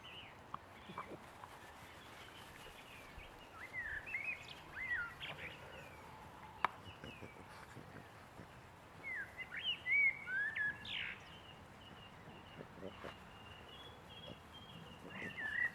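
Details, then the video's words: Six-week-old Boston Terrier puppies let out intermittent high squeaks and falling whines in loose groups across the recording, with quiet gaps between them and a faint background hiss. "boston puppies 6 weeks"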